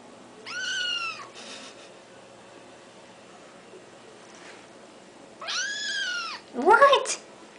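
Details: Talkative pet kitten calling in the morning: two loud, clear, arching meows about five seconds apart, then a short rising chirp, in a quiet room.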